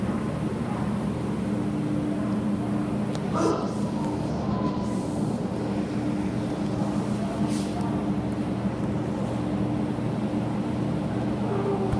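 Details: A steady low rumble of a running vehicle or train fills the scene, with faint indistinct speech and a few brief knocks; no animal voice.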